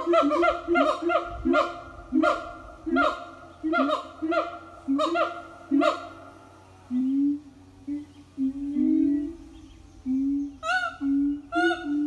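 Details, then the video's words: Morning song from a siamang family at an eco-tourism farm: fast regular barking notes several per second over low booms, then slower rising booms and a few final barks. "Good morning song from Siamang Family"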